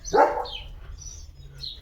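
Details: A pet German Shepherd barks in the morning, starting its day barking: one sharp, loud bark followed by faint high bird chirps in the background.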